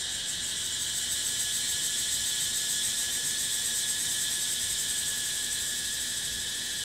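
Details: Unbroken, piercing buzz of cicadas recorded in nature, shimmering with fast rhythmic pulsation and holding an even loudness from start to finish.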